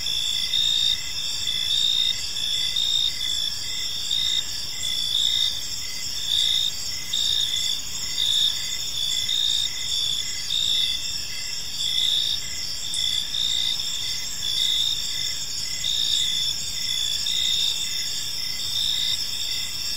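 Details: Gentle chirping of crickets fills a serene park in the evening, multiple high trills overlapping in a steady chorus with rhythmic swells of slightly louder chirps and a soft background hiss.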